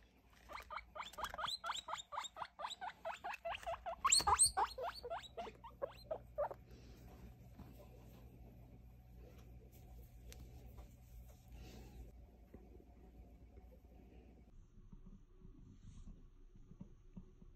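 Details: Baby guinea pig just over three weeks old, handled while being weighed and sexed, giving a fast series of short squeaks that rise and fall, about four a second, for six seconds before fading to quiet handling noise.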